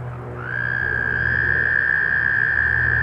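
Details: American toad in northern New Jersey during mating, giving a sustained, even, high-pitched musical trill that starts after half a second and runs unbroken to the end, over a faint low hum.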